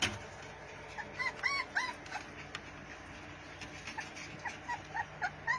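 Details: Pit Bull puppies playing and biting one another, giving high squeaky whines and yelps in irregular bursts, several per second, over a steady low background hum.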